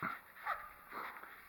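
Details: Coyote objecting to a person's presence outdoors, giving three sharp, yelping barks roughly half a second apart, each brief and slightly rising, over a soft background hiss.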